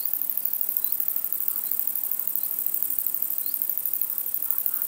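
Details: A long-winged conehead (Conocephalus fuscus) sings a continuous, very high, thin hiss with fine rapid pulsing; recorded in Germany, e.g. Dreezsee at sunset in August.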